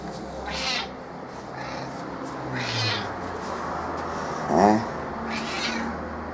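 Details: Affectionate female house cat Kitty, normally reserved, her meowing lowered by a few tones when seeking cuddles: a string of meows every two to three seconds, one short bright chirping mew midway, over a low hum of room noise.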